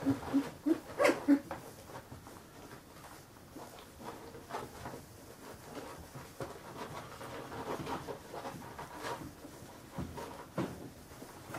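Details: Carolina Dog puppies fifteen days old, indoors, give a quick run of high squeaky whimpers in the first second and a half, then mostly soft rustling and shuffling with an occasional faint squeak near the end.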